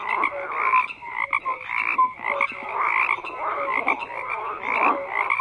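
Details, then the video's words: Many frogs croaking at once, a thick pulsing chorus of raspy croaks punctuated by short whistle-like notes at irregular intervals. "FROGS CROAKING"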